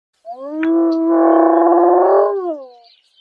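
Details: A female spotted hyena (Crocuta crocuta) in Kruger National Park gives a drawn-out, mid-pitched moaning call that wavers slightly and then drops away.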